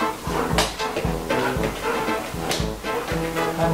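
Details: Background music with bowed strings and a pulsing bass fills the moment, and no animal is heard.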